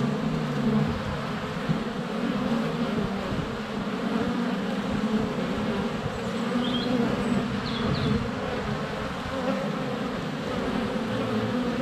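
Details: Steady hum of many honey bees circling close to a hive entrance on a sunny February day, recorded by a GoPro Hero 7 Black; layered droning tones with faint high birdsong chirps in the background.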